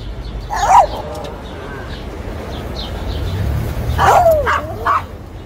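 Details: Shih Tzu giving two short, yappy barks about three seconds apart. Each bark is a sharp, mid-pitched burst over a steady low rumble of background noise.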